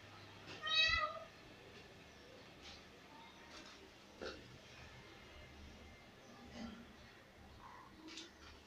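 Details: A cat gives one short, harmonic meow near the start. Only faint indoor background noise and a few soft clicks follow.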